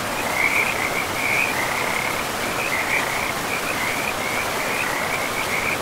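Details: A frog chorus by a forest river produces a steady series of quick, raspy croaking pulses that barely pause, set against the loud, even hiss of running water.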